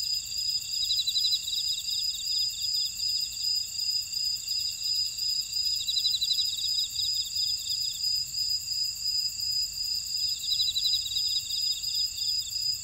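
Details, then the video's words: Insects calling in a buckwheat field at Ora-dong, Jeju City, on volcanic Jeju Island, South Korea: a dense layered chorus of steady high-pitched ringing, a fast pulsing beat and rattling trills that swell roughly every four seconds. "제주 메밀밭의 풀벌레 소리"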